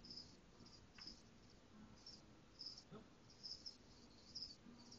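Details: Caged crickets: short high-pitched chirps in irregular bursts, roughly one to two per second, over faint background hiss with a few low knocks.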